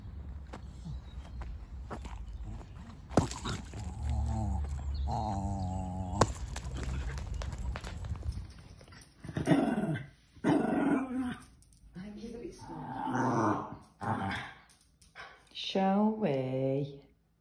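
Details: Ruby, a female Cairn Terrier, is very vocal as she gets excited before a walk. She gives a run of about six loud, wavering 'woo-woo' yowls and groans, each lasting about a second, with brief pauses between them. A few rustles and clicks come first.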